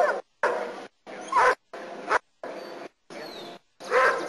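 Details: During protection work in Costa Rica, Nero the German Shepherd barks repeatedly: seven rough, forceful barks of varying loudness, spaced roughly every two-thirds of a second, with brief gaps of quiet between them.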